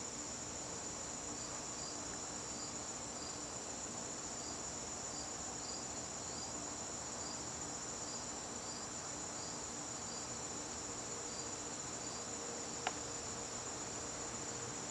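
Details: Garden crickets calling on a September evening, a continuous high-pitched ringing trill joined by a second, slightly lower caller giving short pulsed chirps about every half second, plus one sharp click near the end.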